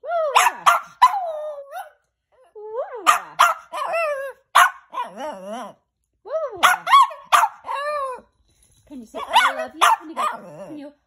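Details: Clusters of sharp high barks from Rocco the Chihuahua, each cluster trailing into quavering, wobbling whines, the bursts returning every few seconds with quiet gaps between.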